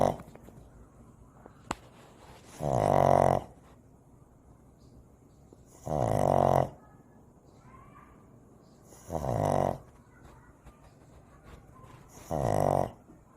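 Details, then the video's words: Shih Tzu puppy snoring while asleep indoors: four low, rasping, harmonic snores, each lasting about half a second and repeating roughly every three seconds, with quiet breathing between them and a faint click early on. "코골이 강아지 풀버전"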